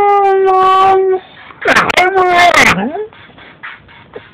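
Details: A 6-month-old Siberian husky puppy sings along to a song, giving a steady, tonal howl, then a wavering, voice-like wail that slides downward.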